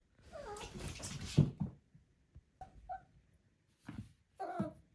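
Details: Four-month-old female Maine Coon kitten indoors giving a few short, soft chirrups that rise and fall, in three brief bursts separated by quiet pauses, with light handling noise.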